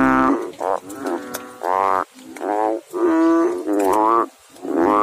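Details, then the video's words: Frog in water giving rapid, rich, nasal croaks, several closely spaced bursts within a few seconds, some short and clipped, others drawn out and reedy, with brief pauses between groups. "Frog Sounds in water"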